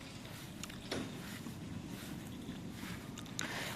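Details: Wind buffets the microphone outdoors, a rough low rumble with a few sharp gusts, and no animal call.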